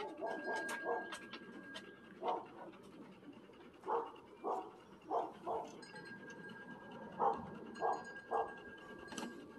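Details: Wet Standard Poodle puppies, male, freshly bathed and outdoors in a play pen for the first time, give short tonal yelps and whines in bursts roughly every second, over a faint steady high-pitched hum.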